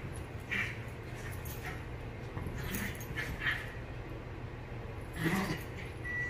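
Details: Havanese and Maltese dogs, Clam and Bella, playing and fighting over a couch indoors; brief high yips and whimpering squeals burst out near the start, around three seconds and again past five seconds, over a steady low room hum.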